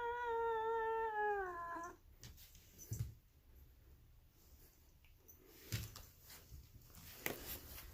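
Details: Grumpy-looking female polydactyl cat inside a room giving one long, steady, strongly harmonic meow of almost two seconds that falls slightly at the end, followed by quiet room noise and occasional knocks.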